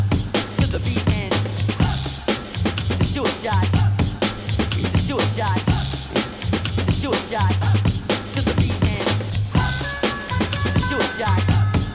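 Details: Loud hip hop music with a heavy bass beat fills the whole recording, and no animal sound is heard.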